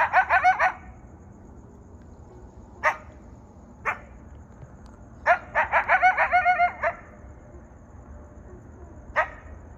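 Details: In the desert, coyotes call in clustered runs of sharp, high-pitched, ringing yips and short harsh barks, with pauses between bursts and no long drawn-out howl.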